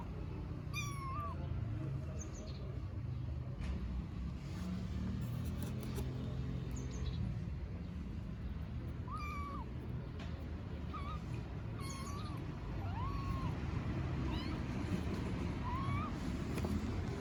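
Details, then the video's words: Tiny stray kittens in Istanbul meowing for their mother cat: thin, high, bent meows, about six spread over seventeen seconds, each short and wavering, above a steady low rumble of background noise. "Tiny kittens meow for mother cat"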